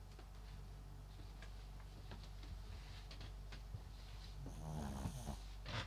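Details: MAX, a sleeping Papillon × Japanese Chin mix dog, snores in a low, rapid, rumbling pulse, with a burst of rustling and brighter noise toward the end.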